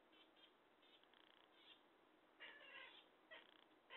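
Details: Faint chirps and clicks, then two clear meows from a chatty pet cat near the end, the last one cut short.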